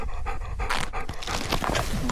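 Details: Excited male dog panting rapidly after running to greet its owner landing by paraglider, outdoors, while being offered a treat; quick breathy huffs in bursts, with wind rumble and a man's voice nearby.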